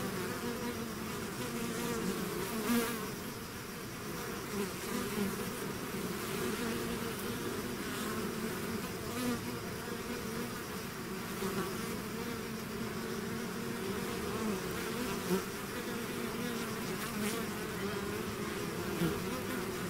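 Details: A hive's swarm emerging, heard as twenty seconds of unbroken layered buzzing, a low droning band with richer overtones above, with small swells as individual bees fly nearer, no other sounds.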